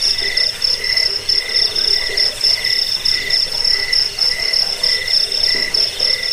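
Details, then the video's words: A cricket (jangkik) sounding for use as a rat deterrent, sleep aid and songbird tutor; shrill pulsed chirps come in quick regular bursts, a lower secondary tone pulsing alongside, over constant high insect noise. "Suara jangkik pengusir tikus pengantar tidur"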